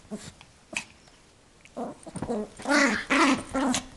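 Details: Young female Yorkshire terrier, eight months old, playing with a toy and defending it from her owner: a quiet start with faint sounds, then a run of harsh, whimpering growls in the last two seconds.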